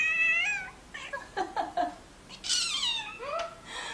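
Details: Pet cat indoors crying in protest because its owner tries to pick it up: a high meow drops in pitch, then soft short mews, then a longer wailing meow sliding downward, ending in a fainter cry.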